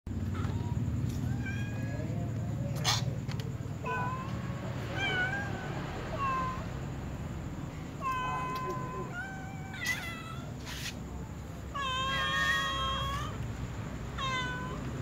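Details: Domestic cats, a tom cat and a white cat with other cats, meowing while asking to be fed; many short harmonic meows overlap from several cats, some rising then falling, with clicking sounds and a low steady background hum.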